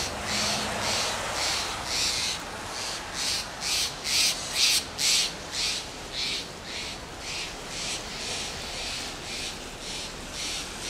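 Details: Fox squirrel (Sciurus niger) giving lip calls from a Monterey pine in Del Monte Forest, California: breathy, hissing bursts repeated roughly twice per second, building louder in the middle, then fading.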